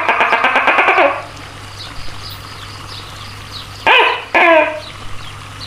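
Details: Tokay gecko, a giant house gecko, calling: a rapid run of about eight harsh, clicking pulses lasting a second, then after a quiet pause two loud, separate barking croaks with falling tones, over a steady low hum.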